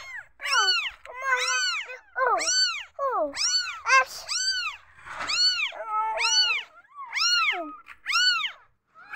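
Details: Insecure newborn kittens calling together indoors, a dense run of about ten high, arched meows that repeat almost every second, several voices overlapping, some calls dipping lower and wavering.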